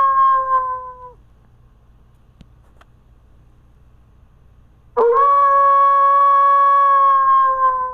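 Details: A gray wolf (Canis lupus) gives long, steady howls that end with a slight fall, with a silent pause between them.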